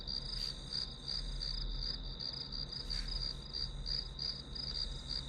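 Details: Grass insects as white-noise backdrop for a one-hour study session: a steady high-pitched ringing trill pulsing about three times a second, over a constant low rumble.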